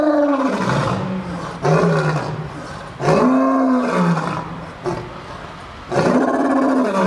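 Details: Lion roaring at the St. Louis Zoo, recorded December 12, 2014. Four powerful, grunting roars fall in pitch, spaced one to two seconds apart, each opening abruptly and tailing off into a low moan.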